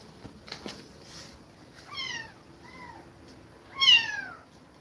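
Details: Kittens taken from a mother who attacked them repeatedly give three falling meows, the last loudest and highest, each clear and harmonic-rich, after some soft rustling.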